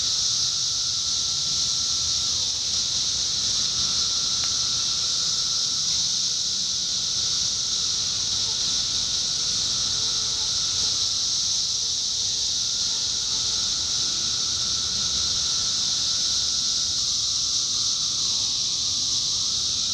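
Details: Indiana 17-year cicadas in summer 2021 fill the air with a relentless high-pitched buzz, unchanging for twenty seconds, while faint thin whining tones come and go beneath it.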